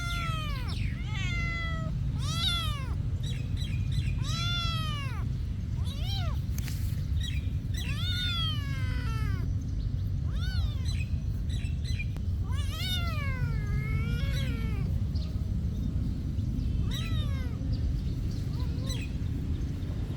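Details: Cats at a monastery meowing in a steady series: rising-then-falling, drawn-out meows follow one another every second or so, some overlapping as if several voices answer, over a constant low background rumble.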